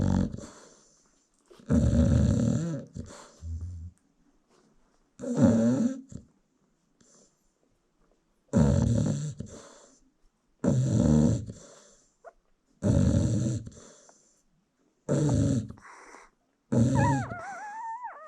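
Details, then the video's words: American Bully mom peacefully snoring while her newborn puppies nurse; coarse, rumbling snores every two to three seconds separated by silence, and a thin wavering puppy squeal rising near the close. "Newborn American Bully Puppies Feeding While Mom Snores"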